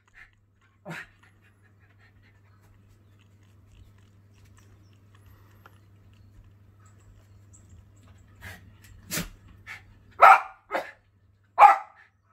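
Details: Schipperke Jett guarding his property against birds; mostly quiet at first with a faint yip, then a burst of short barks and sharp yaps building toward the end.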